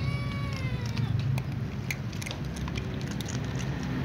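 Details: Calico cat meowing as it runs to its usual eating place alongside other cats; one drawn-out, harmonic meow sliding downward in pitch over the first second and a half, over a steady low outdoor rumble and scattered soft clicks.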